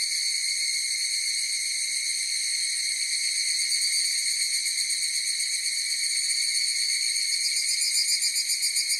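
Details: Chorus of higurashi cicadas: a steady, high, ringing drone of layered tones, with rapid pulsing that grows stronger in the upper tones toward the end; no other sounds.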